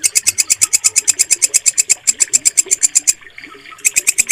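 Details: Walang kecek, a bush cricket, used as a mastering recording to train pet songbirds. Rapid, even train of sharp, high rasping pulses, roughly six per second, that breaks off briefly near the end and then resumes. Faint low murmurs sit underneath.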